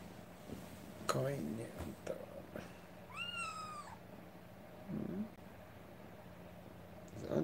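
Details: Rescued kitten indoors with its carer; a woman speaks softly and pats, then a single short arched meow, followed by more quiet talk and handling sounds.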